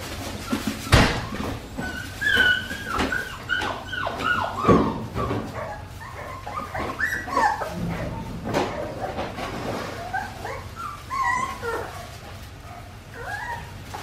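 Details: Australian Shepherd puppies, four weeks and five days old, at a farm. Many high, thin whimpers and short yips overlap in irregular bursts, some rising and falling whines, with occasional soft thumps and handling noise.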